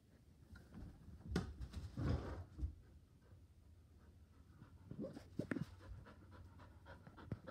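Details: A Border Collie on the couch, keen for the ball, gives breathy panting huffs in uneven bursts, stronger around one to three seconds and again near five, in a quiet indoor room.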